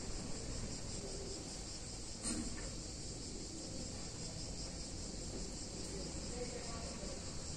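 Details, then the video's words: Cicadas on a hot summer day in a picturesque Italian town, a steady high shrill buzz running throughout over a heavy low rumble of background noise. "Cicadas In Warm Summer Day In Italian Town"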